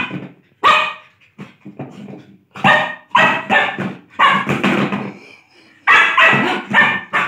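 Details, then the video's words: A Lhasa Apso at play lets out a string of uneven barks, some loud and ringing, others softer and grumbling, with short gaps between bursts. "CUTE LHASA BARKING AND PLAYING"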